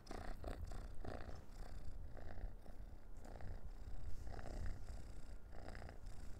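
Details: Indoor orange cat, busy playing with a dried minnow cat treat before eating it, gives a continuous deep throaty purr in regular low pulses, with faint rustling and handling sounds.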